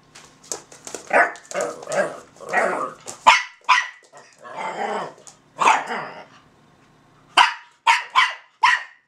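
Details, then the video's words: A Russian Toy named Zora and a Belgian Malinois named Bazooka from a kennel trading sounds in a back-and-forth exchange: sharp broadband barks, a few longer grumbling vocalizations mid-way, then a closing run of quick high yaps. "Russian Toy Zora and Belgians malinois Bazooka (conversation)"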